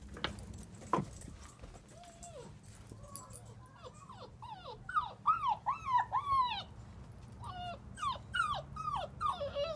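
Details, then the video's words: German Shepherd puppy about a month and a half old whimpering and whining: a run of short arched, high-pitched cries rising and falling, coming in quick irregular bursts over a low background hum, with a brief faint voice near the start. "German Shepherd month and a half"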